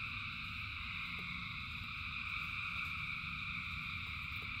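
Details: Countless frogs calling in rain, producing an even, ringing wall of sound at several high pitches, with rumbling rainfall underneath and brief drip clicks now and then.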